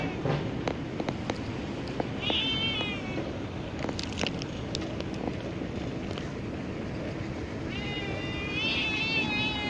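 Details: Black cat meowing for food, still wanting more after being fed. Two drawn-out, wavering meows, one early and one near the end, rise above constant loud rumbling traffic-like noise with scattered clicks and knocks.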